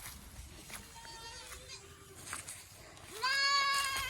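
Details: Boer goat in a Nepali village, on a farm crossing local does with Boer kids: soft, faint bleats and background voices, then a loud, nasal, wavering bleat rising at the start and holding for about a second at the end.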